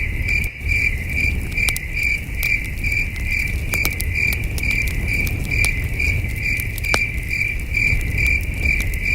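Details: Distant crickets calling on a starry camping night, a high thin chirp pulsing steadily about twice a second, joined by crackling campfire pops and a faint deep hum.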